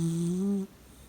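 A Shiba Inu gives a single low, droning snore that rises slightly before cutting off.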